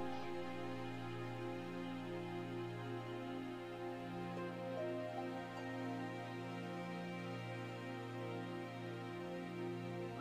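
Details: Only soft, sustained instrumental background music is heard, with no animal sounds.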